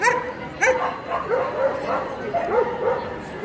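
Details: Male Pharaoh Hound in the champion class at the EDS 2022 dog show, giving a run of short, high, yelping barks, some rising then falling, spaced irregularly over a few seconds against hall chatter.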